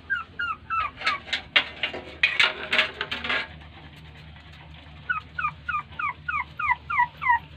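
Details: Puppy whimpers while the mother dog ignores the litter; a noisy rustling burst first, then a quick series of short bent, squeaky cries, about three each second.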